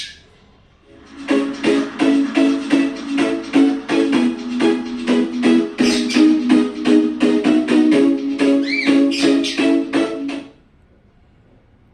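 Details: Bright plucked ukulele music plays in a fast, steady rhythm, then stops, leaving a quiet room and no animal sounds.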